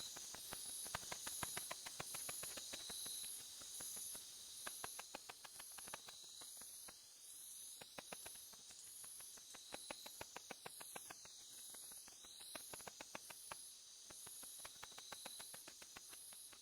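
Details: Tettigoniopsis ashizuriensis katydid producing its ultrasonic song, matching the Japanese house bat in pitch. It comes through as long runs of fast, ticking pulses with brief gaps, laid over a steady high hiss.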